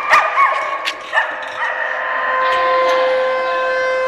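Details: Dogs at an Oswego, Illinois, day care bark and yip briefly during a siren test on January 3, 2012, before a steady, level siren tone takes over the rest of the recording.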